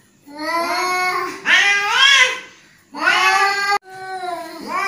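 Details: Angry domestic cat giving three drawn-out, strongly harmonic meows over about five seconds, each swelling up in pitch and then sliding down, with short quiet gaps between them in a small indoor space.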